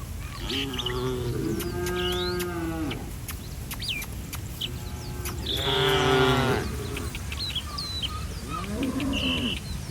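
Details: Village cattle wandering along a street moo repeatedly: a long drawn-out low moo early, then a louder, rich harmonic moo around the middle and a softer falling call near the end, with faint bird chirps behind.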